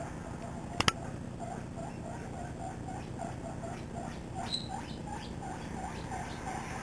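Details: Misty, a seven-week-old pet guinea pig, chatters while running loose around a living room with another guinea pig, Peanut. Soft, steady squeaks repeat several times a second. A sharp click sounds near the start and a brief, higher squeak comes later.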